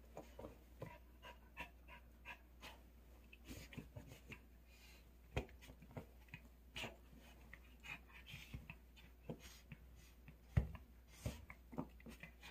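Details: Pet dog playing excitedly with its toy dog doll indoors in a small room. Short breathy panting puffs and soft snuffles come in irregular bursts, mixed with scattered clicks and light thumps from the play.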